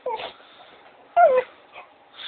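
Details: A female Cocker Spaniel, playing and hyped up, gives short, whiny yips that slide downward, separated by brief pauses.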